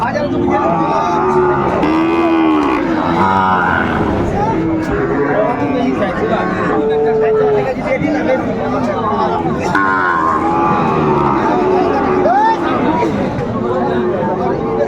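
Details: Sahiwal bull calves at a crowded cattle market on 9 January 2025: a few low, drawn-out moos that rise and fall, near the start, middle and end, under steady bargaining voices, crowd chatter and brief music.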